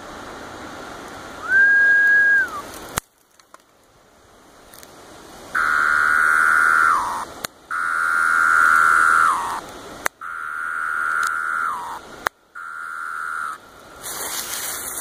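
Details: Male Pharaoh cicada of Brood V, June 12, 2016, coaxed into calling by finger snaps mimicking female wing flicks: five loud, steady buzzy drones of one to two seconds, each ending in a falling slur, separated by sharp snaps.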